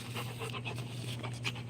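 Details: Rottweiler dog panting: quick, breathy bursts about five times a second, steady and unbroken, over a constant low electrical hum, with no voices.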